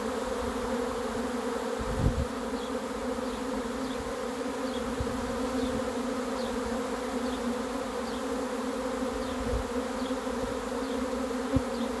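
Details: Arriving honey bee swarm producing a constant, even buzzing drone in layered low tones. A sharp knock near the second mark and a few later thuds; faint short high chirps recur through the hum.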